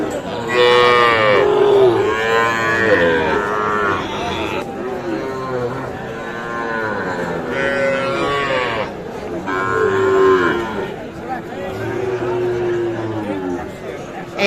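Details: Mooing Sahiwal cattle at the Aftabganj livestock market, Nawabganj, Dinajpur, 16 July 2024, where bull calves are traded. Five or six drawn-out, rich lowing calls follow one another, each bending down at the end, over steady crowd noise.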